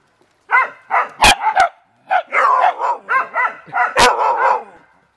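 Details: Family beagles and dachshunds having fun in water give two bursts of excited, overlapping yaps, several barks each second, harsh and high-pitched, with a couple of sharp splashing clicks.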